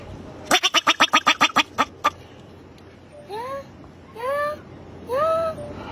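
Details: Wild bobak marmot giving a fast burst of about ten sharp, harsh calls repeated several times a second, then a pause and three separate rising, upward-sweeping squeaky calls. Quiet background.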